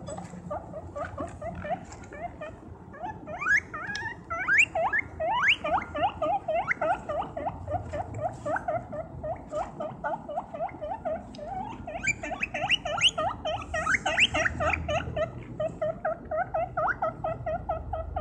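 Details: Guinea pig walking and running around, squeaking loudly. A continuous stream of short, rising squeaks comes several per second, some louder and higher, over a low rumbling background and a faint steady hum.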